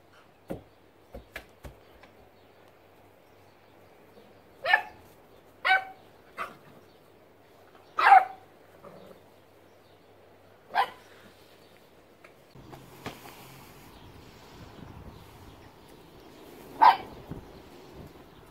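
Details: Smudge, a 9-week-old female beagle puppy, plays with a basketball for the first time, rolling it and herself; short sharp yelping barks come singly at irregular gaps, six or seven in all, with thumps and handling noise between.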